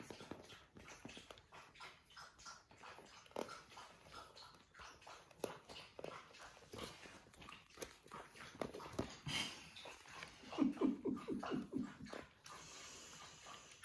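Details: Playful puppies on a farm in County Kilkenny, Ireland, giving low rumbling growls in quick bursts near the end, amid constant scuffling, chewing and clicking movement noises in a small room.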